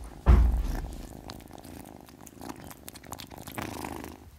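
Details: Kitten Witty dozing off: a sharp thump near the start, then soft, low, rhythmic purring fading in and out until the end.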